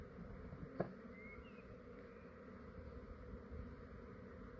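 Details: Honey bee swarm in a yard in Australia, fair-sized and calm, just before removal: a continuous low buzzing drone, one sharp tap near the start and a brief faint bird chirp.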